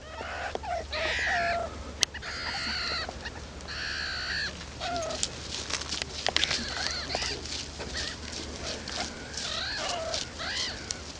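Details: Baby meerkats exploring outside the burrow for the very first time, calling loudly: a busy stream of high, squeaky chirps and upswept whistled peeps from several young, some overlapping, over a steady low hum.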